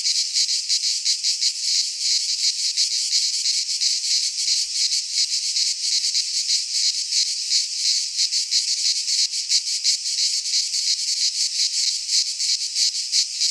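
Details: Cicadas of Greek fauna singing in a pine wood in midsummer: an intense, sizzling, even drone pulsing quickly about three times each second, unvarying and uninterrupted.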